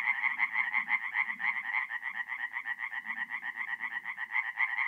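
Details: Singing tree frogs at a forest pond by night in April, north-east Italy, give steady trains of harsh, clicking pulses in a continuous chorus, over soft, deeper croaks from other frogs.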